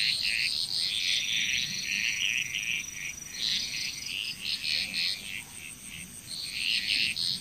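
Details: Bali frog chorus in Indonesia, quieter and busier, with rapid overlapping chirping croaks in irregular bursts and a persistent high background tone.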